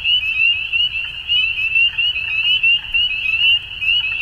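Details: Many frogs calling together at dusk in spring, Ontario, Canada: piercing, high, slightly upslurred peeps stacked densely into an unbroken trill, loudness flickering as individual callers rise above the chorus.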